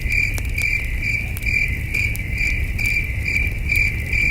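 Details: A night chorus of crickets at a peaceful campsite under the stars, with steady shrill chirps pulsing roughly twice each second over low rumbling noise and occasional snapping campfire crackles.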